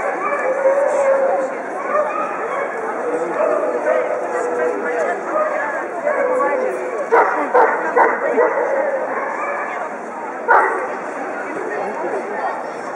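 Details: Indoor dog show in Moscow, 6 March 2011, German Pinscher females being judged at the Favorit exhibition; a cluster of sharp barks around the middle and one more later stand out against continuous crowd talk and hall murmur.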